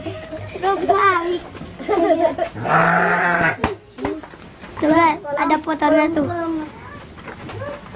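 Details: Bleats from Garut sheep at the Dangiang ram-fighting farm in Cilawu, Garut, West Java, one sustained, nasal cry standing out amid lively crowd chatter, laughter and shouting.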